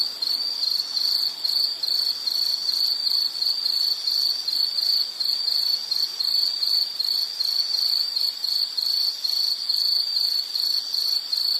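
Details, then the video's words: Continuous high-pitched insect chirping, rapid rhythmic pulses that barely vary in loudness from start to end, against a soft, even background hiss. "Sound · Nature Sound of nature sounds scenery L · insect"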